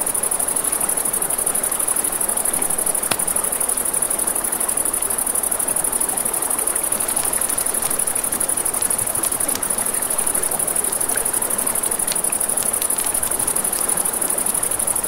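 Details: Crickets at night beside a river, with a crackling campfire: a steady, very high-pitched trill runs without pause for the whole stretch, layered over a broad hiss of flowing water and occasional sharp pops from the flames.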